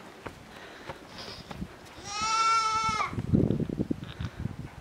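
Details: Small miniature goat kid, Petite Pelotte, trotting after a woman to reach its mother for suckling. One sustained, steady, nasal bleat of about a second, then crunchy footsteps and rustling in the straw.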